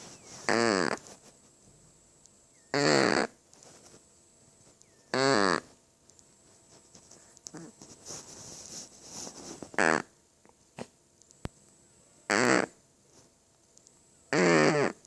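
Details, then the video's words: A kitten asleep lying on its owner snores in loud, squeaky, harmonic-rich bursts, one roughly every two to two and a half seconds, with quiet breathing and faint rustling between them. "Funny kittten snoring"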